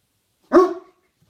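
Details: One loud, abrupt dog bark that fades quickly, part of a twilight bark a few hours too early, recorded in a quiet indoor space.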